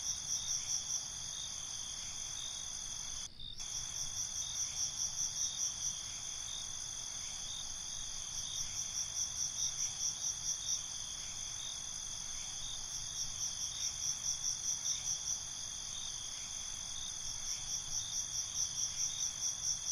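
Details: Night-time cricket chorus recorded binaurally: continuous high ringing trills layered with groups of quick pulsed chirps at intervals, one brief dropout near the start, faint low rumble underneath.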